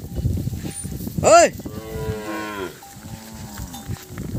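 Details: Calves separated from their mothers call out. One sharp loud bawl is followed by drawn-out, wavering moos that fade into lower, shorter calls, while a herder shouts nearby and a thin ringing tone persists.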